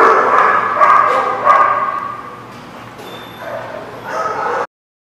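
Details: Repeated sharp dog barks and yips, recorded 10/7/17, come in quick bursts about three times a second early on, then fade to quieter yelps before a louder flurry just before the sound cuts off abruptly.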